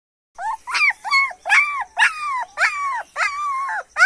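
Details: German Shepherd puppy whining: a series of about seven high, clear, arched whimpers, each rising then sliding down, repeated roughly every half second in a quiet setting.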